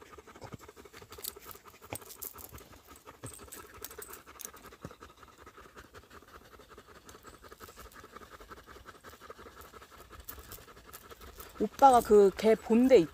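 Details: Dog panting on a mountain woodland walk in South Korea, where a husky tracked a pregnant deer while a Labrador retriever stayed close; soft, rapid breathy puffs about three per second, with human voices breaking in near the end.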